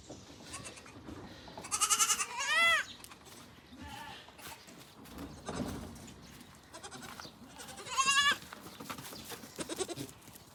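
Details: Young black goats on a farm. Sharp, quavering bleats sound near the start and again later, mixed with rustling, thumps and a little background speech.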